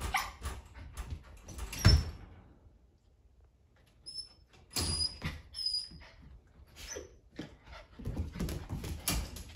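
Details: Young male poodle puppies at play, Eric among them; clusters of rough yips and scuffling noises come in bursts, broken by a quiet stretch of about two seconds, with thin high whines over the top.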